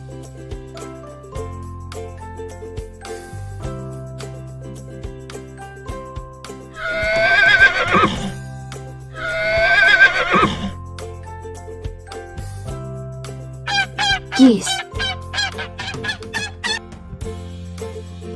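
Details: Horse on a real farm giving two loud, shrill whinnies a few seconds apart, each a shaky descending neigh, over steady children's background music, followed by quieter short sounds.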